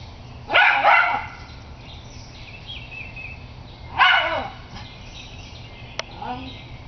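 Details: Sonya the Schnauzer barking at a squirrel: two loud, gruff single barks about three and a half seconds apart, with faint bird chirps and a short click in between.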